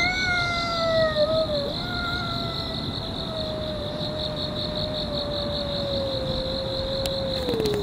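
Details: Park-dwelling cat in a long-running fight, giving one sustained, drawn-out yowl that holds steady for several seconds and then slides slowly downward, over a constant high insect buzz.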